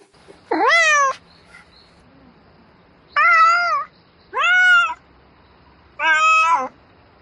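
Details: Domestic cat calling for a mate at night, meowing repeatedly: four loud harmonic meows, the first sharply rising, the rest arched and drawn out, spaced a second or two apart in a quiet setting.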